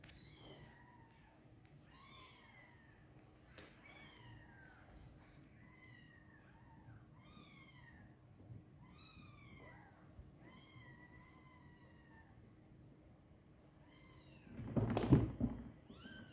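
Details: Mother cat and her baby kitten in a box: a rapid string of short, thin, downward-sliding mews, many overlapping, ending with a loud rustling bump.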